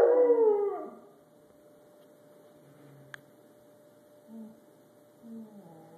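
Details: Rottweiler. A Rottweiler howls at the start, a rich tone sliding downward and fading within a second. Afterwards near silence follows, with a steady low hum, a single click and a couple of soft, brief sounds.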